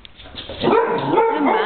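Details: Mates, a Hungarian Vizsla dog, playing with a piece of mandarin: a short, high, wavering whine with thin tonal squeaks rising and falling over under two seconds, with no other sounds over it.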